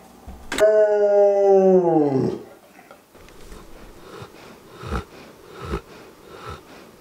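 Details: Wallace, a household Old English Sheepdog, gives one long tonal howl of nearly two seconds that slides gently downward and fades, followed by soft thumps and shuffling noises.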